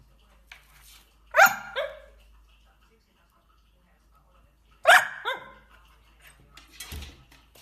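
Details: Dachshunds at mealtime, eating food: two short, sharp harmonic barks about three and a half seconds apart, with quieter yips and background music between them.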